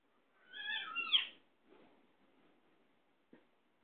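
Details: Domestic mother cat with her kitten: one clear meow about a second long, harmonic, rising slightly then falling, followed by faint soft murmurs and a single click in a quiet setting.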